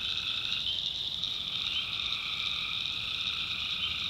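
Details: Night chorus of tree frogs in North Carolina backwoods: steady, piercing high trills massed together without pause, one lower-pitched voice dropping out early and returning near the end.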